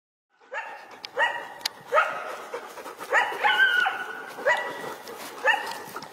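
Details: Wild coyotes howling around people out walking their dogs and following them for a while. Wavering, layered howls break into sharp yips, rising and falling in overlapping bursts roughly every half second.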